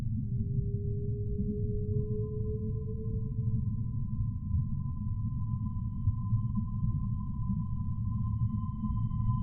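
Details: Humpback whale song: a low moan that slowly rises for about four seconds, followed by a long, steady, higher whistled tone with faint overtones, heard over persistent low-frequency ocean rumble.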